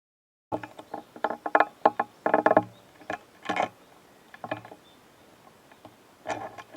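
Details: Japanese stag beetles duelling, with dry, irregular clicks and scraping taps as their hard bodies collide; stag beetle.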